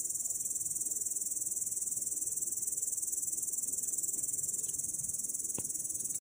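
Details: Grasshopper sitting in grass, recorded on 18 August 2017: a continuous high, hissing buzz of very rapid, even pulses that holds steady throughout, with one brief click near the end and faint low rustling underneath.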